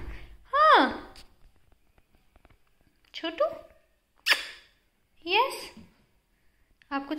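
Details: Pet Persian cat, Ruffles, indoors, giving a series of short meows, each a rising-then-falling wail under a second long, separated by brief pauses across seven seconds.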